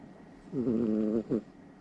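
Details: Somali cat snoring loudly while deeply asleep at night next to its owner; one long buzzy, slightly wavering breath of about half a second, then a brief second snort.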